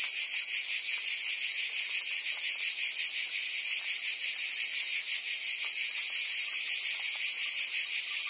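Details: In Provence, France, cicadas sing through a summer day: a loud, constant high-pitched rasping hum with quick regular pulses and no breaks.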